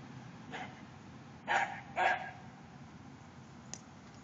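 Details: Mingus the dog alerting to a deer in the backyard with two clear barks half a second apart, preceded by a faint bark and followed by a brief click, against steady outdoor hiss.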